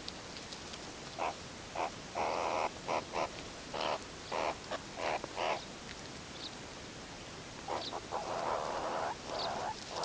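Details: A wild, free-living meerkat group grooming and huddling at sunset before sleep gives short, harsh chirping calls in uneven bursts over a steady hiss of background noise.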